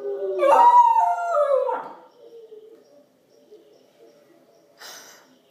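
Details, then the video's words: Howling from a female Pembroke Welsh Corgi puppy responding to wolf howls on a screen: one loud wavering howl falling in pitch over two seconds, then faint low tones and a brief noisy rustle. "Corgi Puppy Howls with Wolves"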